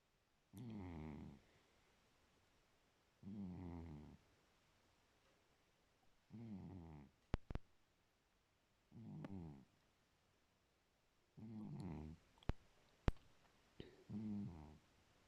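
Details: Pet cat snoring in its sleep: six low, buzzy, rasping snores, evenly spaced about every two and a half to three seconds, with a few short ticks and clicks scattered between breaths indoors.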